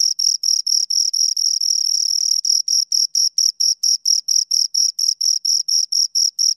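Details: Two crickets chirping, a steady train of high, shrill pulses about four per second, briefly blurring into a continuous trill near the middle, with no other sounds.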